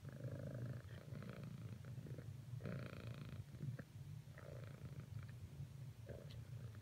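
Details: Purring domestic cat, persisting with cuddling attempts toward a companion; a deep, even rumble continues under a few longer brushing or rubbing noises and soft clicks.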